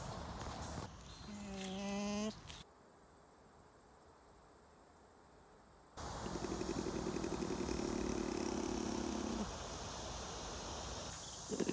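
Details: Lemur calling, part of a group's vocal communication. A rich, harmonic wail holds for over a second, then after a pause comes a long, steady buzzing drone lasting several seconds over background hiss.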